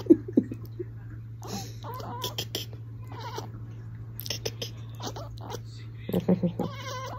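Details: Domestic cat chattering in a series of quick, clipped clicks and short harmonic chirps, with human speech mixed in and a steady low hum underneath.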